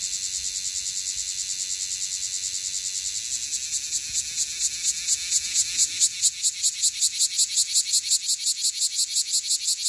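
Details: Cryptotympana facialis, the bear cicada of Okinawa, calling close to the microphone: a steady high buzz that builds into loud, pulsing rasps roughly twice per second in the second half.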